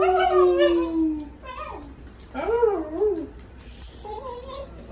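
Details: Basenji named Ragnar, upset and screeching indoors in a small room: wavering, yodel-like harmonic wails that slide down and then rise in short bursts, with pauses between, over quiet room background.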